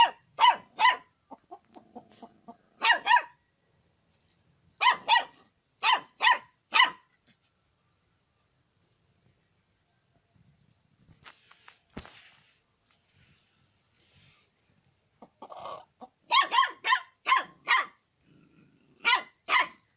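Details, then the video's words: Dog barking because it wants to eat chicken: sharp, bright barks in quick pairs and triplets, with bursts repeating every second or two and quiet gaps between, plus faint rustling in the pauses. "when dog want eat chicken (hot)"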